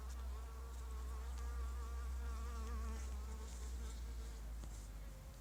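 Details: A violet carpenter bee (Xylocopa violacea) collecting pollen on runner bean (Phaseolus coccineus) plants gives a steady, deep droning buzz whose pitch wavers slightly as it moves.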